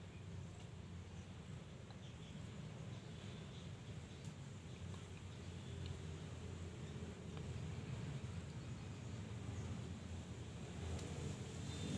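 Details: A steady low rumble like a distant engine or traffic, with faint outdoor hiss and no clear animal voice.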